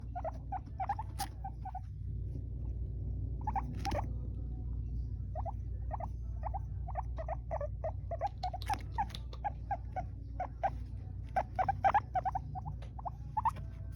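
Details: An Abyssinian guinea pig having fun making noises gives quick bursts of short, high squeaks over a low background hum.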